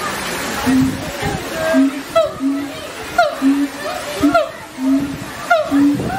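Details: Siamang (Symphalangus syndactylus), call.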